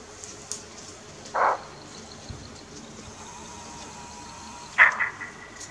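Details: Bushbuck alarm call in Kruger National Park, South Africa, recorded from the deck of a safari tent: two short, harsh, hoarse barks roughly three and a half seconds apart over quiet background hum.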